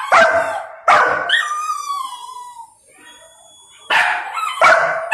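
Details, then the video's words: Young male Golden Retriever angrily protesting at not being allowed to eat before his owner's command: two loud, harsh barks, then a long falling whine, then two more sharp barks. "Angry Golden Retriever Throws Tantrum for Not Being Allowed to Eat"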